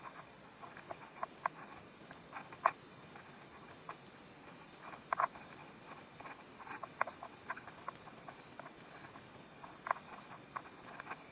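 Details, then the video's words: Close crunching of a praying mantis eating a wasp, Korea, steady bursts of dry clicks and crackles with several sharper snaps spread throughout over a low hiss. "“Chewing sound” of a praying mantis eating a wasp"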